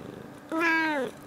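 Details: A domestic cat gives a soft, quiet "coo" instead of a meow, a half-second mew that swells slightly and then falls away, recorded Feb 21, 2018.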